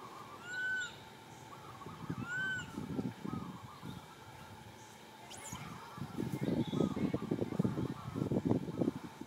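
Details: Baby monkey crying sadly for its mother, asking for milk: two loud, drawn-out cries that rise and fall, with bright overtones, about two seconds apart, then rustling and scuffling noise and faint bird chirps in the background.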